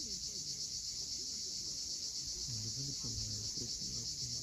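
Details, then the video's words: Sunset cicada chorus from the cliffs of Cape Fiolent, Crimea: a continuous high-pitched whirring pulsed roughly four times per second. Brief low warbled notes appear in the second half. "Cicadas at sunset."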